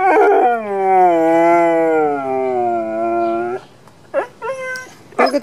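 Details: Drawn-out howl from a pet dog, slowly sinking in pitch over about three and a half seconds, followed by a few short, yelping whines. A brief burst of voice or noise comes at the close.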